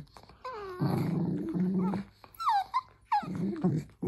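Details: Dachshund giving low rumbling growls, broken by short high whines that slide downward, with a brief yelp near the end; indoors, no other clear sounds.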